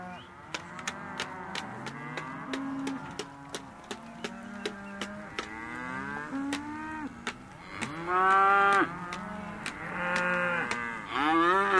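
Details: Calves, Hereford and Careta, male and female, in a sale lot, lowing in overlapping arched moos while sharp regular clicks tick along; near the end the bellows grow louder and higher, rising into strained calls.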